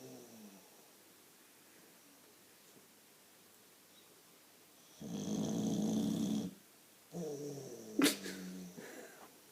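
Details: Sleeping Boxer dog snoring loudly indoors: after quiet breathing, one long rasping snore lasts about a second and a half, then a shorter, more tonal snorting breath follows with a sharp click in the middle.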